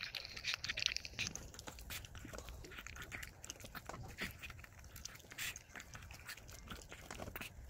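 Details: Kkami, a timid, 1.7 kg female Chihuahua born in 2018, whining indoors to ask for what she wants and to stop her toy doll being taken; short high whimpers among chewing, clicking and rustling noises.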